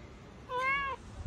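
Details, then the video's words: Pet cat just disturbed from napping gives a single clear meow, rising then easing down over about half a second, in a quiet room before a treat is offered. "talking cats"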